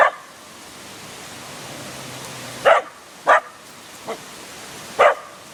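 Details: Short, clipped barks from a dog directed at a statue in Yasui Valley, Kochi Prefecture, Japan, four or five in a few seconds, one softer, against a continuous hiss of flowing water.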